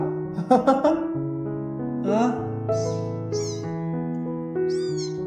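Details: An abandoned orange kitten, rescued from the freezing cold and described as loud-voiced and very clingy, gives several short rising-then-falling meows over steady piano music, with a man's voice speaking near the start.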